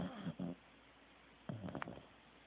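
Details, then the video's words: Teddy, a Corgi asleep indoors, gives two short rasping snores with low harmonic tones, a pause, then a longer rattling snore breath. "Teddy SNORING"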